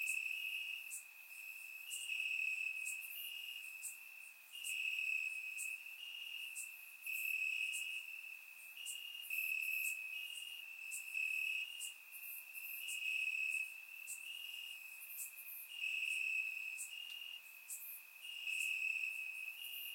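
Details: Night chorus of crickets in Bulgarian grass on a warm summer evening, surround-recorded: continuous shrill trilling pulsing in regular swells about every second, with scattered sharper chirps from other crickets overhead.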